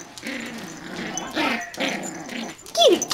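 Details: Yorkshire Terrier puppies at play indoors during a tug of war: low rough growls come in bursts, then a sharp high whine slides downward near the end, with a woman's voice faintly behind.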